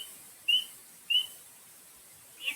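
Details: Tiny spring peeper frog, small enough to fit on a fingertip, whose throat bubbles when it peeps: two clear, high, upslurred peeps about 0.6 seconds apart, then a fainter note at the end, with light hiss behind.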